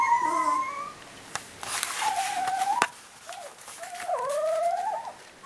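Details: Three-week-old puppies on July 13 giving drawn-out, wavering whines, some rising and some level. Scattered clicks and rustling handling noises break in between the cries.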